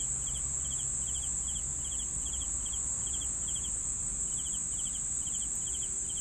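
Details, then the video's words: Crickets chirping: short pulsed high chirps repeated about three times a second, against a constant piercing high-pitched hum and low background rumble. "CRICKETS SOUNDS"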